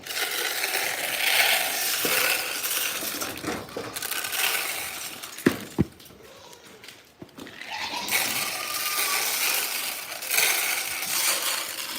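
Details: Dense clinking and splashing noise with a few sharp knocks and no animal voices.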